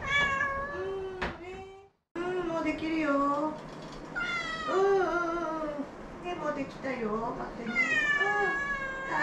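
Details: ['Two former shelter cats meowing indoors to demand their food: one short meow, a brief silence, then a run of long, drawn-out, wavering meows that rise and fall, about four in a row, with little else audible.']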